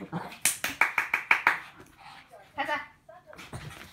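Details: Shih Tzus playing together give a quick burst of sharp, yappy barks, about six within a second and a half, then a short whiny note, with people talking and laughing over them.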